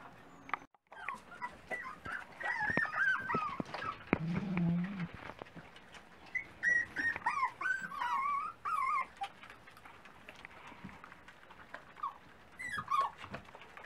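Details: At breakfast time, a litter of Dachshund puppies whines in bursts of high, wavering squeals that rise and fall, several pups calling at once, with a brief low growl near the start and clattering underneath.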